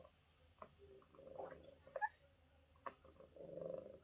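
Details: Kitten named Mira, met while on vacation in Greece, which makes sweet beeping sounds all the time; soft, short tonal beeps rise and fall in a few brief bursts, separated by sharp clicks and light knocking.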